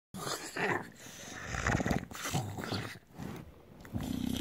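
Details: A bulldog making strange low growling, grunting noises while its belly is rubbed, rough throaty bursts coming and going with short pauses, handling rustles in the background.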